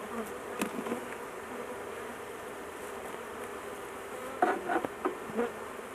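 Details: Caged queen honey bee held aside during a large intervention on a hive to avoid crushing her; steady low buzzing of bees with a few louder, brief buzzes and faint tones near the end.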